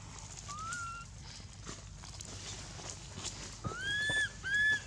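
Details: A faint short wail, a pause filled with scuffing sounds, then two stronger arched cries from baby monkey Anissa, crying in pain at Angkor Wat temple after Aron hit her and dragged her over the hard earth.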